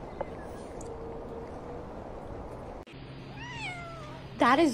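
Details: Domestic cat meowing: after a low steady hum, a drawn-out meow with rich harmonics that bends down in pitch, then a louder, sharper wavering cry at the very end.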